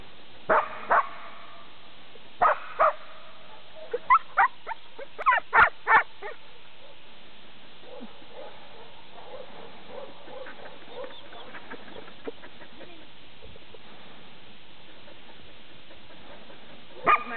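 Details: Jim, a Border Collie, at a herding session on 14 March 2009, gives sharp barks: a pair near the start, another pair, then a quick burst of about six. Quieter rustling and low murmurs fill the rest, with one final bark at the end.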